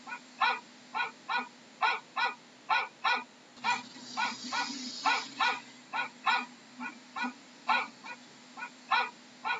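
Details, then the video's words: Repeated dog barks, each short and bright with layered harmonics, coming in quick regular pairs and runs above a faint steady background hiss. "How does a dog sounds"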